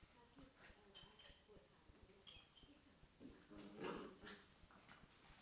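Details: Corgi and Scottish Terrier playing together indoors, one dog giving low, throaty harmonic growls and whines that swell near the middle, with soft human speech and shuffling in the room.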